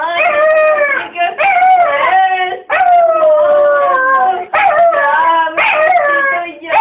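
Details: Pampered, whiny pet dog crying in a home: long, loud, wavering whines that rise and fall in drawn-out strokes, broken by short pauses about every one to two seconds.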